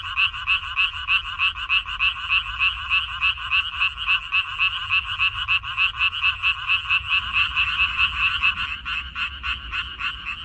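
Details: Chorus of frogs in a Korean minari field, spring 2021: rapid rattling croaks about three per second, slightly irregular as several callers overlap, with a low rumbling noise rising in the last few seconds.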